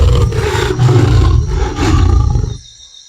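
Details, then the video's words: Lion roaring: a deep, rumbling roar heavy in low tones, pulsing for about two and a half seconds before fading out abruptly. "சிங்கம் கர்ஜிக்கும். சிங்கம் கர்ஜிக்கும்."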